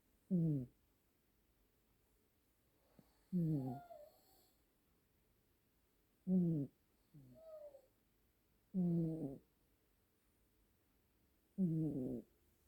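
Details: Two Siamese cats, brother and sister, snoring as a duet indoors: low rasping snores in bursts roughly every two to three seconds, some longer and deeper, others shorter and slightly higher.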